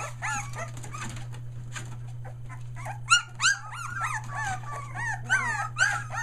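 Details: Australian Shepherd pups one day short of three weeks, found their voice: sharp rising-falling yelps and whimpers, a few louder squeals near the middle, low hum throughout, near Mooresville NC.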